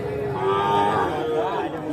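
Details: Sahiwal bull calves at the Aftabganj cattle market in Nawabganj, Dinajpur, Bangladesh, on 8 October 2024: a brief, steady, nasal moo lasting under two seconds, set against dense crowd chatter.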